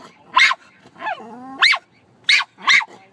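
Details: Dog named Lyla barking at birds; sharp high barks in bursts, with a longer whining, falling note between them, then two more quick barks.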